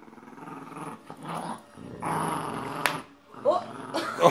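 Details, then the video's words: Boxer and Jack Russell Terrier growling during a tug of war over a penguin toy indoors; low rumbling growls in bursts with a woman talking over them. "Penguin Tug of War - Boxer Dog vs Jack Russel Terrier"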